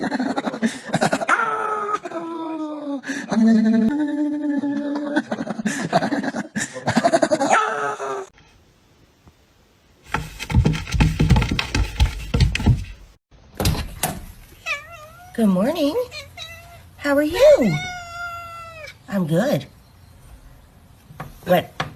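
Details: Cat or kitten meowing in a bout of drawn-out, arching harmonic cries, some rising then falling, mixed with human talking and laughter and a burst of rustling noise midway.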